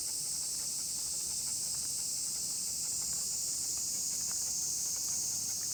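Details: Many cicadas singing together along a walking route with a miniature pinscher: a dense, unbroken, high shrill drone holding steady throughout, with faint footsteps and small ticks underneath.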